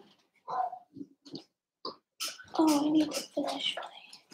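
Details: Overnight in an indoor room, three Cavalier King Charles Spaniel puppies (Cooper, Conner, Jenny), born June 2022: a few short squeaky yips, then a louder drawn-out wavering whine lasting about a second, followed by further broken whimpers.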